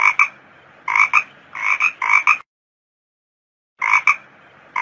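A toad gives short, harsh croaking notes in quick clusters, each burst nasal and slightly rasping.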